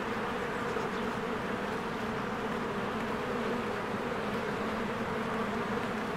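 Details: Spring beehive with many honeybees flying in and out, a continuous thick droning hum holding level throughout, no breaks, broad hiss above it.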